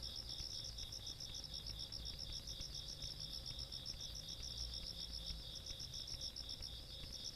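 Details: Countryside night insect chorus from 17 August 2022, with fast, evenly pulsed high chirps and a constant shrill trill running together, plus a faint low hum in the background.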